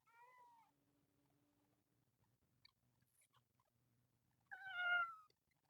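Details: Screaming kitten among a group of temple cats living outdoors: a short falling meow, then after a pause a loud, strained cry bending downward, with faint low rumbling background noise.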